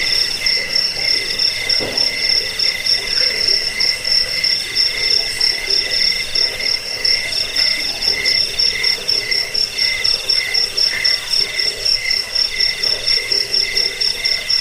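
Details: Several crickets trill together in a recording meant to scare off rats, help sleep and train birds; a sharp, high, evenly pulsed chirp runs throughout above softer lower buzzing bands, with one brief low knock near the start.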